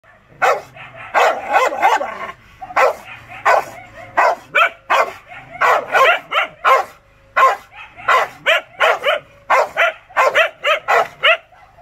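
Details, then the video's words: Rottweiler at the peak of anger, barking loud, harsh, harmonic barks, sometimes single and sometimes in quick doubles or triples, with short pauses and no other clear sounds. "The peak of anger rottweiler"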